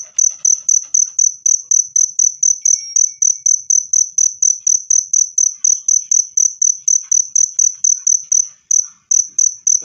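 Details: Cricket sound meant to chase rats away naturally or to calm stressed birds: a sharp, high, steady trill of evenly spaced chirps running throughout, with a brief dropout near the end and faint background ticks.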